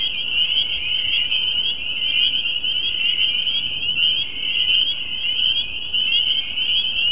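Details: A dense chorus of spring peepers at a mucky creek pond in New Jersey gives many high, piping peeps that overlap into a continuous shrill ringing.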